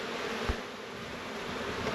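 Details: Honey bees crowded at the hive entrance of a newly opened hive during a New Zealand summer hive check give a steady, droning hum, broad and unbroken, with a soft thump early on and a breezy hiss beneath, calling stray bees back home.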